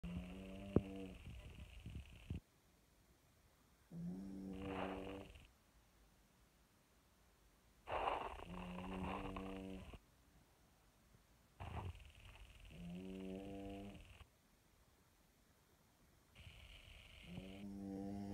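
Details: A French Bulldog snores with a ball in its mouth. Harmonic, nasal snore phrases about a second long come in irregular bursts, separated by quiet gaps, with some breathy, rasping inhalations between them.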